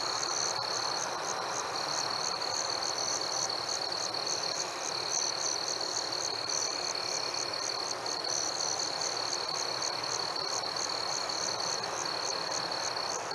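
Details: Crickets chirping on a warm summer evening among fireflies: a sharp pulsed chirp repeated about three times a second over a steady high whine, with a dense hiss of other night sounds beneath.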